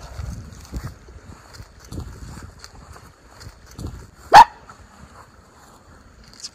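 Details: Miniature Schnauzer, one of two brothers let off leash outdoors in spring on April 18, 2024, Aroostook County, Maine, after the snow has melted; a single sharp, loud bark rings out midway over soft thumping footsteps on a calm day.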